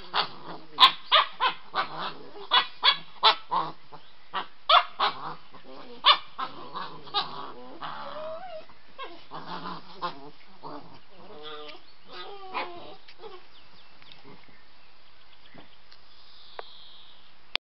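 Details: White Swiss Shepherd puppy playing with another dog in the evening: a rapid run of short barks and yips for about seven seconds, then growling, whimpering play noises that fade into quiet.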